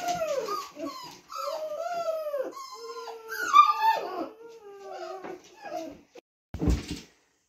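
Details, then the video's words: Young Lab mix retriever puppies whining and crying: a string of tonal whimpers that slide up and bend down, several voices overlapping, a sharper peak midway, then a short noisy burst near the end. "Lab mix puppy SOUNDS dogs love, sounds from day1"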